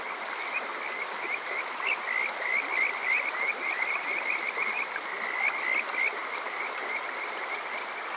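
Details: Kajika frog on a summer night in Yokoze, Chichibu, Saitama, Japan: clear high pulsed trills in several bursts, rapid and bright, with a gap before a final run, over rushing stream noise.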